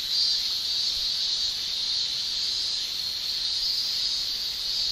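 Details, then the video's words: Male cicadas in a Japanese summer shrilling with their tymbals: a steady, high, hissing buzz that holds an even pitch and loudness throughout. No other sounds stand out. "Japan Summer Cicada Shrilling"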